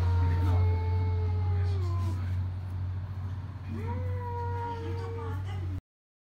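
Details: Cat meowing: two long, drawn-out tonal meows, the first held steady then falling, the second rising sharply then easing down, over a constant loud low hum.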